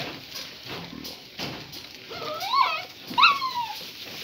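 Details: Great Pyrenees mother playing with her puppies indoors, giving short rising-and-falling whimpers and yelps near the end, two squeaky bursts after a quieter stretch of shuffling and faint voices.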